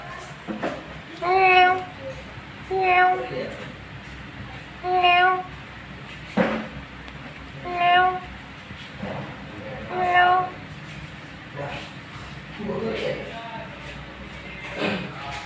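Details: Angora cat named Pranky giving a series of six clear, tonal meows about every one and a half to two seconds, each short and steady in pitch, while a person calls its name between the cries.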